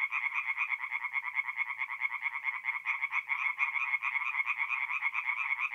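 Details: Chorus of many tree frogs singing at night at a forest pond in mid-April in north-east Italy: dense, rapid, rattling pulsed croaks overlapping continuously, strongest in a bright mid-high band, with no other sounds.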